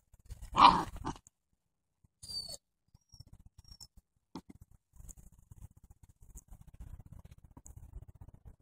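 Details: Outdoor play among seven-week-old Doberman puppies in autumn: one sharp, loud grunting bark opens, then a brief softer sound, then soft patter and rustling from the romping pups.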